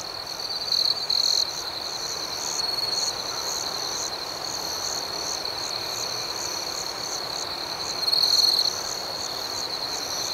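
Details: Nighttime cricket chorus outdoors, a continuous high ringing hum with faint pulsed chirps above, brief louder trilled bursts near the start and again toward the end, rhythmic and steady throughout.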